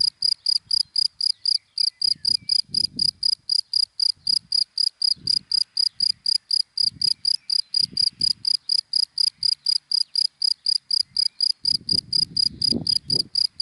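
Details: Daytime cricket in dry grass gives a long run of sharp, high chirps, close to four a second without a break, over soft low rustling and a light murmur near the end.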